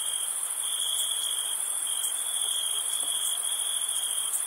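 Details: Summer-night cricket chorus recorded during camping, a continuous piercing high trill that never pauses, with a thin, steady upper shimmer and occasional faint ticks; nothing else audible.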